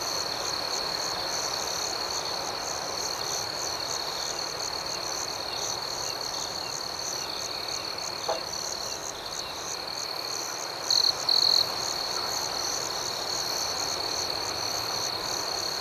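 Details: Night crickets chirp in a dense, continuous high-pitched chorus of rapid pulses. A brief click sounds partway through, and two short, louder trills come near the end.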